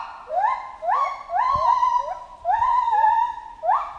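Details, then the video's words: Chimpanzee giving repeated rising hoots that swell into sustained shrieks with rich overtones, in three or four drawn-out phrases separated by brief dips, plus a faint low knock partway through. "Monkey Ape Sound Effect Chimp Jungle"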